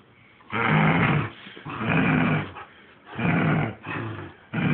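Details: Saint Bernard Ossian growling while playing tug with his owner; rough, low rumbling growls in bursts of about a second, separated by short pauses.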